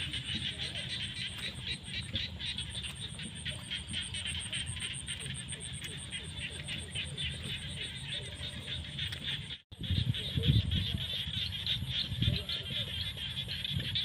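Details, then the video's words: Rainy-season frog chorus in the fields at sunset, many frogs croaking in fast overlapping pulses with a constant high buzzing drone; a brief cut midway, then louder low thumping noise. "The sound of frogs crying in the fields at sunset during the rainy season"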